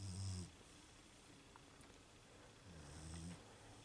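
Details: Snoring from a sleeping female Beagle: two deep, rumbling snore breaths, a short loud one at the start and a longer, softer drawn-out one near the end, with quiet between.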